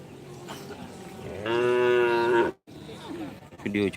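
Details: Cattle at the karapan sapi bull race, Asemanis field, Pamekasan, East Java; a single clear, steady, buzzy moo of about one second, followed by a short silence and crowd voices with bursts of noise.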